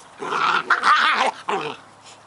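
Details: Scottish Terrier puppies Bonnie and Basil at play, giving a continuous rough, rasping growl that rises and falls over two seconds, broken by a brief gap before a final snarl.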